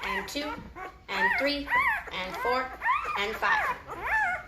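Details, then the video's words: Several Great Bernese puppies, five days old, born to Great Pyrenees Lacey and Bernese Mountain Dog Castle, crying together indoors with a jumble of bending, wavering whimpers and short squeaks, some lower and some sharply rising. "Great Bernese Puppies are 5 days old and getting noisy!"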